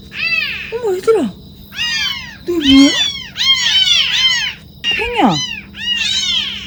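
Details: Motherless kittens found near a sewer at night, their cries growing louder: loud, dense run of high, arched meows, almost continuous, mixed with a person's speaking voice.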